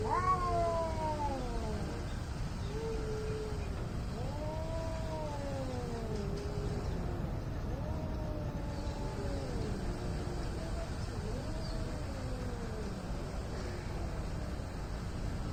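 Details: Angry cats squaring off in India, trading a series of drawn-out wailing yowls that swoop up then slide down, about one every two seconds, against a constant low rumble.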